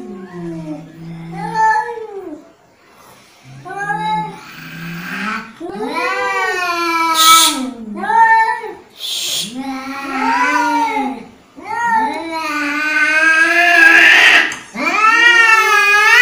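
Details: Angry cat producing a series of drawn-out, wavering yowls and whining meows, rising and falling in pitch, about one each second, growing louder and harsher toward the end with short breathy gaps between them.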